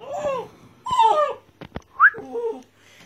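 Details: Red Doberman puppy named Tiramisu, about 54 days old, indoors; two drawn-out arching whines, then a short rising squeak followed by a few softer falling whimpers, with brief clicks and a person talking nearby.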